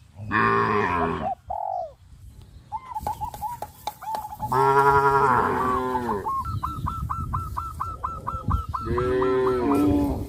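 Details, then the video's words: Farm cows in a village walking toward green grass pastures, letting out three deep, rich moos spaced a few seconds apart; between them a bird repeats quick hooked notes in a fast series over low rumbling. "The cows are walking towards the green grass fields, sound of cows"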